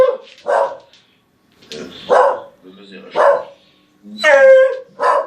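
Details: Pet dog making funny noises: a few woofy barks spaced about a second apart and one drawn-out harmonic whining yelp near the end, indoors.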